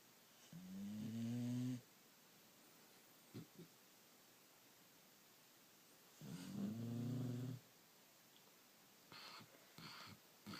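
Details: Puppies asleep after a hard day, snoring softly indoors: two long, low, rumbling snores about five seconds apart, each lasting over a second, with faint soft clicks and rustles in between.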